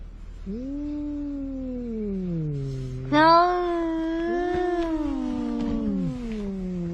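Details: Seaside quarrel between two cats, one a large ginger: long, wavering yowls that bend up and down, a lower moaning growl dropping away, then a sudden louder, brighter cry that swells and slowly falls.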